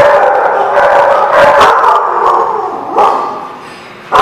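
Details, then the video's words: Several dogs barking and howling at once, a dense overlapping chorus that fades toward the end before a sudden loud bark. "The Barking Lot"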